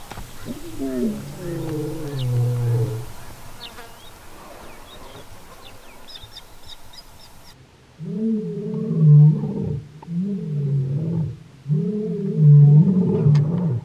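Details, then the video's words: Lion roar sequence recorded in the Kgalagadi, a territorial and pride-contact call; an opening falling roar, then a quieter gap with distant birds, and a run of short, repeated grunting roars, each a few seconds apart. "Lion Roaring compilation | Kgalagadi"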